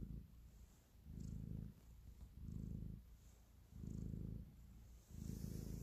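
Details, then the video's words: Domestic cat purring deeply while kneading to show affection, five rumbling breath pulses in under six seconds, steady and low, with a quiet background hiss. "Cat Purr, Kneading and Love"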